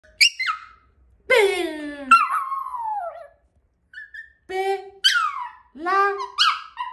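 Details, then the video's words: Bella, a Yorkshire Terrier indoors, answering her name with whiny vocal sounds: a series of high, drawn-out moans that slide downward, each about a second long, between a person repeatedly calling her name. "Yorkie (Bella) Sensitive To Her Name With Vocal Sounds"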